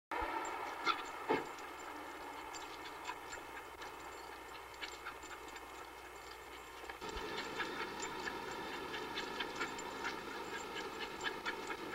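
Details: Steady rumbling background noise with scattered clicks and knocks grows slightly louder midway, with no animal call.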